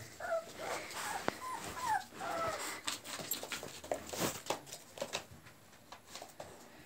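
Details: Pit bull puppies, 26 days old, bred in Chile from American Pit Bull Terrier lines, give thin squeaky whimpers that rise and fall in short bursts near the start, over steady clicking and rustling.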